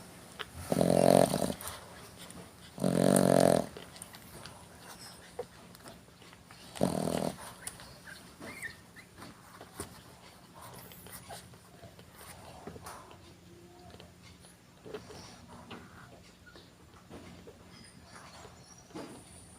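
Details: Sleeping dog snoring in a small room: two loud rasping snores close together near the start, a third shorter one a few seconds later, then long quiet stretches of soft breathing and small rustles.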